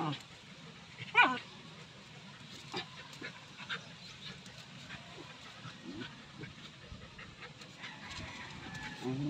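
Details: Two female dogs, best friends and playmates, play fighting gently and carefully; one sharp, high yelp early on, then soft scuffling, panting and faint rustling for the remainder.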